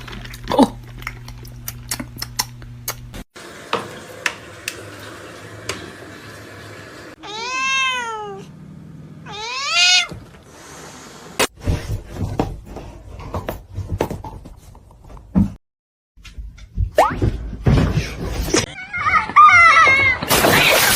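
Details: House cat indoors giving two drawn-out, wavering meows, each rising then falling with rich overtones, amid clattering, thumps, a low hum at first and squeaky chirps near the end.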